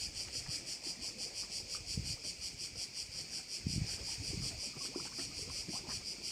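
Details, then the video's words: A chorus of crickets at a bay on Korčula: high, continuous buzzing that swells and fades in quick regular beats, about two per second, over bursts of low rumbling wind-like noise and occasional thumps. "Korčula - view of one of the bays in Korcula with sounds of crickets"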